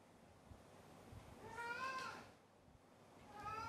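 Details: Domestic cat giving one drawn-out, wavering meow that rises then falls, fairly quiet, with a second meow just beginning at the end; low room rumble underneath.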